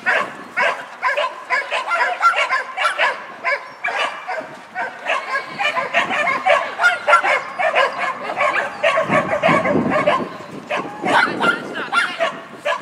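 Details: Shetland Sheepdog Lesya at a tunnel competition on 19 December 2015, with steady rapid barks repeating throughout in a noisy indoor setting, a low rumble joining near the end.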